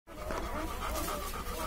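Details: One-day-old Labrador Retriever puppies give a continuous thin, high whine with steady layered tones lasting the whole moment, over a low background rumble.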